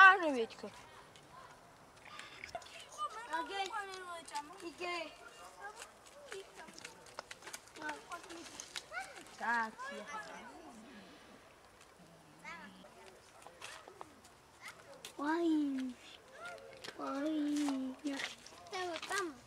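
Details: Colony of cats living by a dumpster and feeding from it; overlapping meows from several cats, some rising and falling, others long and drawn-out, with scuffling noises and bursts of human speech throughout.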